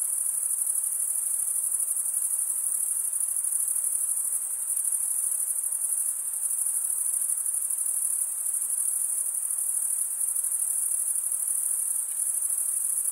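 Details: Crickets stridulating, rubbing one wing along the toothed vein of the other, make a steady, very high, shimmering trill that runs unbroken with a faint pulsing texture. A soft background hiss sits underneath, with no other animals.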